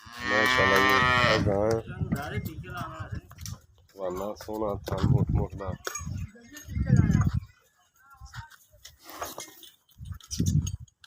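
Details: Nili-Ravi buffalo in Pakistan, kept for sale; a loud, drawn-out moo with a rich layered tone opens, followed by shorter, lower lowing calls broken by pauses, with people's voices and some clattering nearby.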